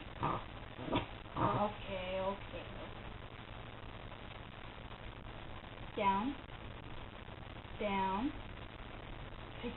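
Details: Female pet dog vocalizing on the command "speak" during trick training: three drawn-out, tonal whining calls that rise then bend downward, spaced a few seconds apart, with a person giving spoken commands at the start.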